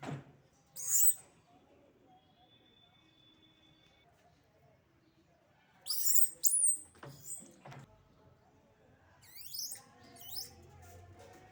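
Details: Naughty monkeys in a rural village, recorded without sound effects, giving short shrill high-pitched squeaks and chirps in three separate bursts, with downward-sliding notes and quiet gaps between them over a faint low background rumble.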